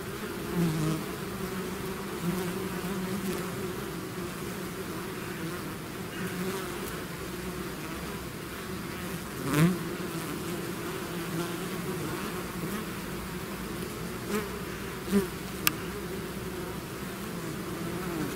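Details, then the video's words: Bees swarming out of their hive give a sustained low humming drone, broken by a few sharp clicks and a louder close fly-by near the middle. "bees therapy swarm natural buzzing sound"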